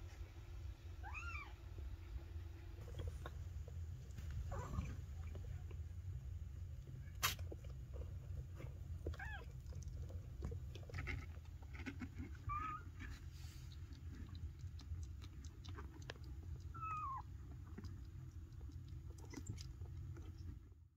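High, thin Maine Coon kitten meows, each a brief rising-then-falling mew, scattered over a low background hum.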